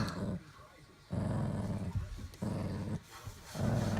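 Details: Dog named Daisy guarding her bone from a child indoors, giving low rumbling growls in three long bursts separated by short pauses, with faint background voices.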